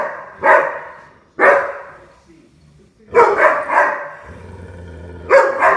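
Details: Puppy playing and letting out single loud yaps spaced about a second apart, then a quick double bark; a faint low hum sounds between the barks.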